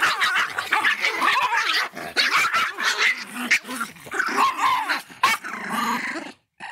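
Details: Fierce-sounding Miniature Pinscher barking and growling almost nonstop: harsh, noisy yaps run together with rough snarling between them and only brief pauses, ending in a short silence.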